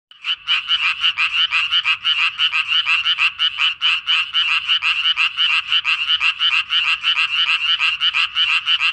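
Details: Tree frog breeding in a pond where it returns each year, giving a rapid run of raspy, buzzy notes, about three per second, in a steady unbroken chorus-like series, with little else heard.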